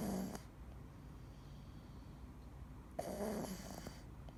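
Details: Snoring of Dee, a sleeping male Scottish Fold: a low, continuous breathy drone, with short brighter noise bursts at the start and near three seconds.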